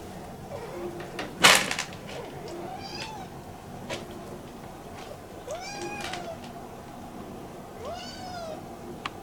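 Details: Kitten Inari, who usually roams the room freely, meows after being put in a cage to wait during ironing. Three drawn-out, arching meows come roughly every two to three seconds, with one sharp knock near the start and a quiet indoor background.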